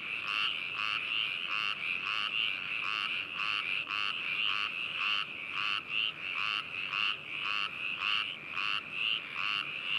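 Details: Many frogs calling together at Hakushu, Yamanashi Prefecture, Japan, 4 May 2018, binaural stereo: loud pulsed croaks nearly twice a second, uneven in rhythm, above a continuous trilling drone.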